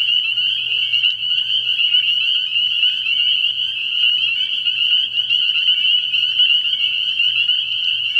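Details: Spring peepers calling at night from a frog pond early in the year: a dense, continuous chorus of high, shrill peeping notes overlapping into one steady ringing band, with faint low pulsing underneath.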